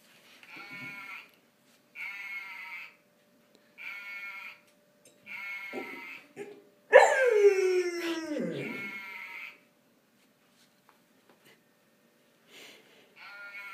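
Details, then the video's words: A golden retriever sings its first vocalizations. Short level tones are repeated about every two seconds, then comes a loud, sharply falling wail with wavering pitch, then quiet with faint notes. "the golden retriever singer"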